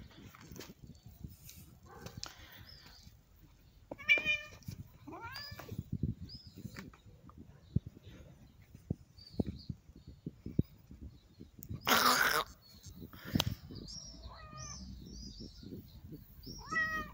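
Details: Cat being played with meows repeatedly, short rising-and-falling mews scattered through the recording, several in quick succession near the end, amid tapping, rustling and a burst of handling noise.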